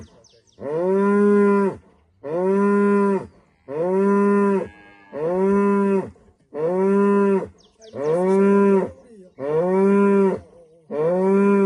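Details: Rural Rwandan morning with a female cow greeting the sunrise: eight evenly spaced, rich moos, one about every second and a half, each held steady before dropping off.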